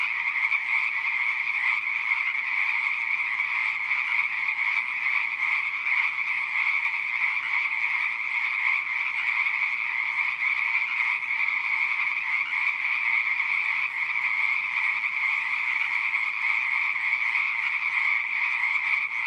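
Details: Pond frogs in full chorus, countless overlapping shrill calls that merge into one continuous trilling drone, unchanging in loudness from start to finish.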